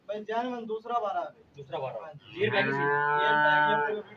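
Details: Cholistani Jersey cross cow, offered for sale on 30 August 2023: a man talks briefly, then the cow gives one long, steady, harmonic-rich moo lasting about one and a half seconds before fading.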